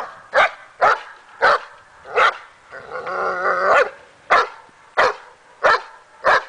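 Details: Female dog Daja barking during agitation table training meant to draw out more confidence: loud, clipped barks at a steady pace of roughly one every 0.6 seconds, broken midway by a drawn-out, wavering whining growl lasting nearly a second.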